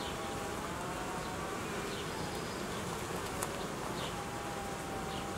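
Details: Buzzing honey bee colony being reorganised after raising queen cells, with food stores dropping in cold weather; a thick, unbroken hum of many bees with faint thin whistling tones drifting above it.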